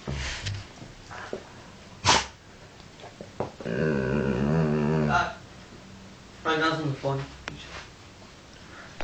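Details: Indoor pet dog Woods, trying to talk for his tea, gives a sneeze then a sustained harmonic moaning grumble of about a second and a half, and later a shorter wavering vocal, between quiet stretches and human speech.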